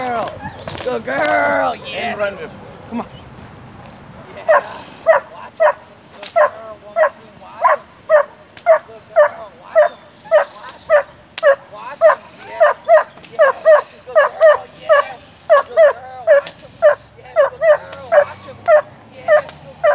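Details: German Shepherd, six years old, doing protection training, opens with a person speaking, then barks steadily and sharply, nearly two barks a second, in a long unbroken series to the end.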